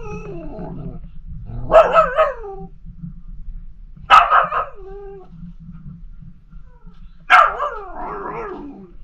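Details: Female Pomsky puppy Liberty howling and 'talking' to her sister, Pima Kitty. Three separate yowling, wavering bursts come roughly every two to three seconds over a faint low hum.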